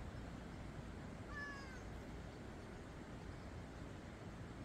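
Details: Gentle stray cat at a park entrance near a restroom, a well-fed street cat liked by passers-by, gives one short meow, a bent, slightly falling whine about half a second long, over a steady low background rumble.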